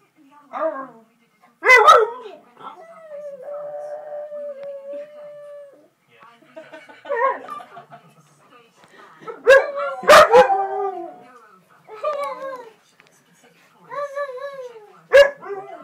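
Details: Together a jug and a husky howl in repeated wavering phrases, mixed with sharp barks and yips at intervals, including a long level howl in the early part and clustered loud yelps near ten seconds.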